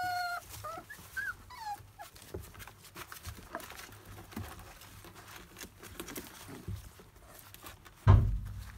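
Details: Labrador Retriever puppies of a field line, 27 days old, cutting teeth and chewing everything. A few high, wavering whimpers open the recording, then quieter rustling, with a sharp loud bump near the end.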